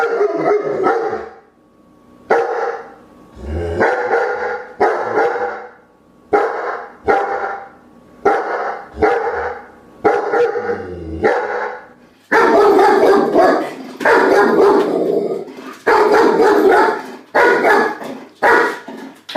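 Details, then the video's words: A German shepherd barks steadily, rough single barks roughly every second. The calls grow louder and denser in the last seven seconds as the dog barks more insistently. "DOGS BARKING"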